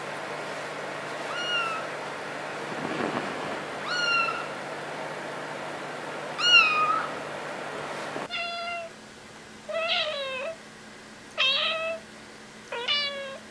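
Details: Kittens meowing in a compilation: about four high, short, bent meows in the first half, then a cut to a second set of four rising-falling meows, each clearly separate, over a faint steady hum.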